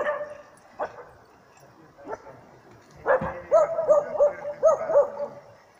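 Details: At Jokela, Finland, a dog bays at a mechanical training bear. After a few scattered knocks, five fast ringing barks arrive in a tight series near the end, each with a slight upward-then-down bend.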